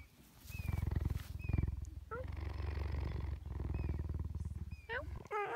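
A cheetah gives a deep, pulsing rumble broken by a few thin, high chirps.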